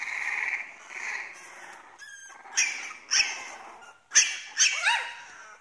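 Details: French Bulldog puppies, two weeks old, giving thin high squeaky whimpers and yelps, several short rising and falling cries in bursts with brief pauses between.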